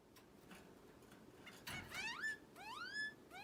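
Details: Caged orange-cheeked waxbill kept as a pet, giving shrill calls likened to an alarm: a few rising whistled notes sweeping sharply upward, repeated about every half second late in the recording, over a faint indoor hum.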